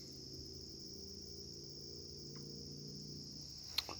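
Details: Bush crickets singing in the background of a forest during a woodland hike: a faint, unbroken, high-pitched buzzing drone that holds steady throughout, with a sharp click near the end.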